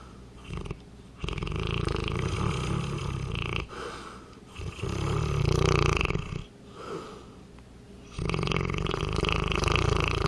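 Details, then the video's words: A 200-pound Saint Bernard asleep indoors, snoring loudly in long rough rasping breaths with low rumbling pulses, broken by short quiet pauses between snores. "200lbs. St. Bernard snoring"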